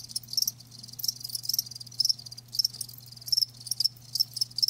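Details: Natural-sound recording of live crickets: high, shrill chirps clustered in bursts separated by brief pauses, one caller dominant, against a quiet steady background hum.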